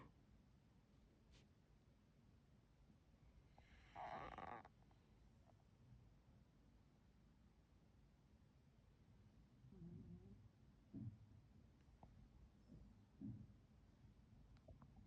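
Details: Adopted rescue Jindo mix dog snoring quietly while resting, worn out after a day spent playing with its big sister; soft, low rumbling snores in the later part, with one brief louder harmonic snort or whine early on.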